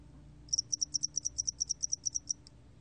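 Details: Close, clear song of a spotted-wing hairy cricket from a 2020 National Institute of Biological Resources recording: around sixteen bright, high-pitched pulses run evenly for two seconds, ending with one faint tick.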